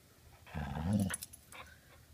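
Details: Border Collie refusing to drop its ball: a low, rumbling growl lasting about half a second, then a few faint rustles, just after a woman says 'drop it'.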